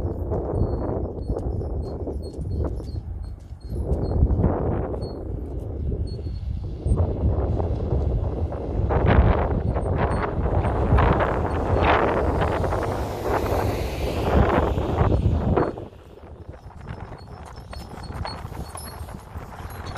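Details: Registered Friesian sport horse being driven, its hooves striking in a steady rapid clip-clop about four times a second over a low rumbling vehicle and wind noise, loudest in the middle before fading quieter for the last few seconds.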